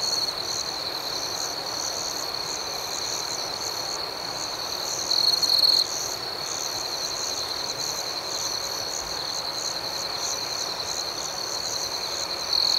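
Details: ['Crickets at night: a steady, high shrill trill runs without break, with fainter pulsed chirps pulsing above it and brief louder bursts near five seconds and at the end.']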